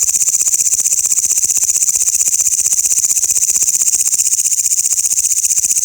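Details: Grasshoppers calling loudly: a bright, high, rasping buzz pulsing evenly about four times a second, with nothing else heard.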